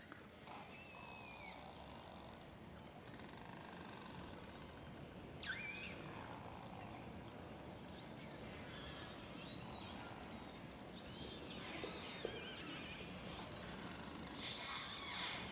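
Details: A four-channel recording of a group of 30 to 40 orcas travelling under sea ice in darkness, filled with rising whistles, pulsed squeals and rapid echolocation clicks.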